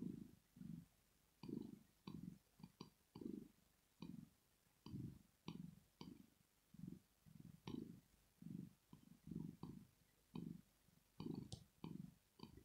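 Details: A female house cat named Rosetta purrs as she sleeps, showing pleasure or relaxation: a regular run of low throbbing rumbles, one per breath, with faint light clicks scattered above.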